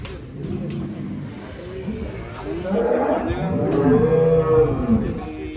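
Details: A giant first-place champion cow, wearing a victory robe and necklace while a child rides it, gives low, drawn-out moos that rise and fall in the second half, over men talking and crowd noise.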